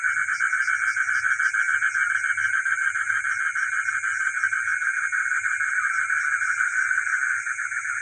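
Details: Frogs heard at night in the village, their massed calls forming a dense buzzing trill that pulses rapidly and steadily, set against an unbroken thin high-pitched ringing background.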